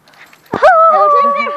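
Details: Yorkipoo at play time: a short scuffle followed by a long, steady, high whine that holds level for about a second and slowly fades.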